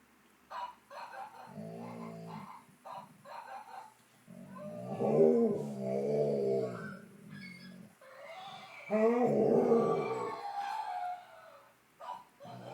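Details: A 10-month-old fox red Labrador Retriever puppy indoors, talking back to an animal-sound toy: a run of low, grumbling, wavering vocal bursts that swell into two longer, moaning howl-like phrases, with short gaps between them.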